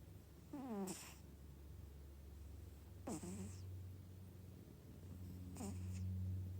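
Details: Domestic cat snoring: a steady low hum underneath, with a squeaky, falling voiced note on each breath, repeated roughly every two and a half seconds, three times.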